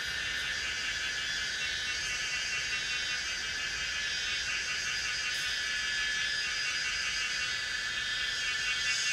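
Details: Pomponia linearis cicada at Yanmingshan: an unbroken, dense, high-pitched shimmering buzz that never pauses, sounding almost like hiss, with faint ticking accents near the start and middle.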